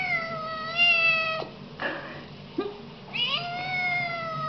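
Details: Siamese kittens meowing loudly. Two long, drawn-out, tonal meows dip slightly in pitch, at the start and at the end. Between them come a brief rough squeak and a short abrupt chirp.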